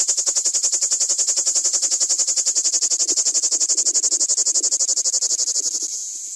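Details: Common cicada (Lyristes plebejus) singing at very close range: a loud, high, shrill buzzing trill pulsing rapidly at about four beats per second, steady throughout, fading slightly at the end.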